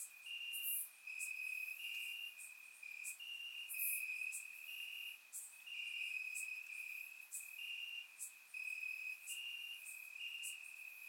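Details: Warm summer night in Bulgaria, crickets calling from the grass, recorded in surround sound: an unbroken shrill drone plus repeating pulsed chirp segments from additional insects and occasional crisp clicks.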